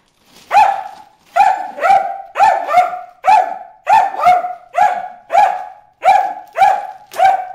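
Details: Bruce the dog barking at fish in a water hole, a rapid series of loud, high, ringing barks, often doubled, with short gaps between bursts.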